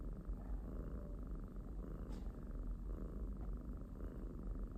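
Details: Pet kitten's continuous low purring, a deep rumbling drone with soft rhythmic swells and one brief scratchy sound midway.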